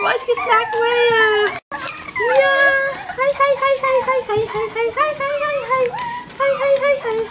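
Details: Group of young Bichon Frisé puppies from litters O and P yelping and whimpering in short, bending cries, a brief silent gap near the start, then steady overlapping squeals and a soft hum.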